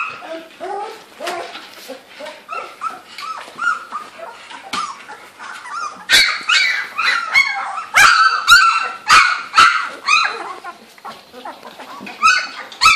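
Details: Litter of girl Labrador Retriever puppies aged 2-3 weeks, Gold Coast kennel in Australia, finding their voices at play; shrill overlapping yips and whimpers, quieter at first, then a dense loud run of rapid squeals.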